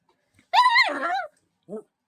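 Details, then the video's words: Johnny the dog, getting real mad at a wiggling blanket, lets out a strange drawn-out whining yowl lasting under a second, wavering up and down, then a brief softer yelp after a short pause; otherwise quiet indoors. "Johnny getting real mad and making strange noises at a wiggling blanket"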